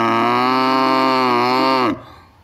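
A cow gives a long, steady, low moo that drops away sharply at the end.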